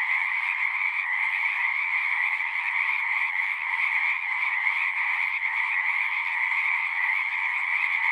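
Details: Pond frogs in a horse pasture, recorded on a Zoom 6, keep up a thick, ceaseless chorus of overlapping shrill trills, the level holding nearly flat throughout with faint pulsing texture.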